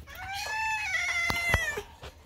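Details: Kitten rudely screaming while waiting for food indoors: one long, strained meow lasting nearly two seconds, steady then tailing off, with a few sharp clicks behind it.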